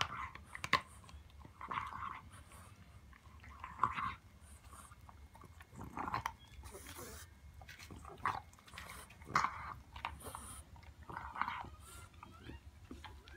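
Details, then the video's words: French Bulldog puppy gnawing a pig trotter treat: scattered crunchy bites and clicks mixed with short nasal grunting snorts every second or two, in a quiet indoor room. "French Bulldog Puppy Enjoys Pig Trotter Treat"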